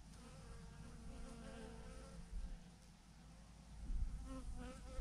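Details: Massive clump of honey bees on a branch, a quieter continuous buzzing drone with faint wavering tones beneath steady low-frequency wind rumble.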